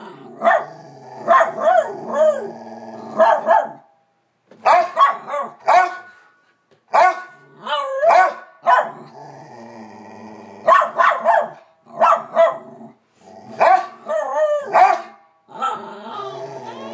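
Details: Two pet dogs named Bronner and Bella barking up a storm: bursts of loud barks in quick clusters, some with rising and falling whining tones, separated by short pauses, with a low growling undertone between bursts.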